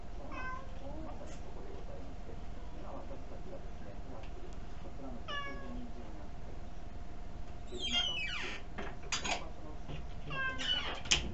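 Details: Pet cat Kuri-tan begs for something tasty while seated on a chair indoors, captured on an ultra-mini camera: several brief meows spaced a few seconds apart, the last ones amid clicks and handling noises.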